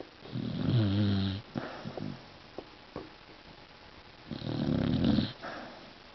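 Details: Indoor Beagle snore: two long, throaty, vibrating breaths about four seconds apart, each around a second long, with faint snuffles and clicks between them.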